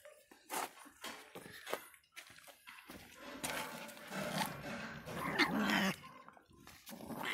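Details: Miniature Pinscher named Faísca, an angry little dog, giving sharp separate barks in the first two seconds, then a longer rough stretch of grumbling and growling with snarly bursts, and ending in further yaps.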